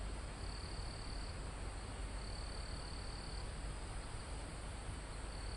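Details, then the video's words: High-pitched cricket trills sound from a calm forest almost at a mountain's top, recorded live: two or three longer steady buzzes separated by pauses, set against a heavy, continuous wind rush in the foliage. "Calm Forest in Mountain With Crickets, Insects Sound"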